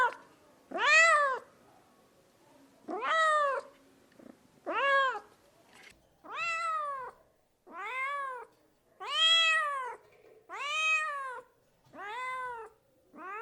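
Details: Pet cat calling repeatedly with short, steeply arched meows, about eight of them, each rising quickly and falling away, coming every one to two seconds in a quiet room.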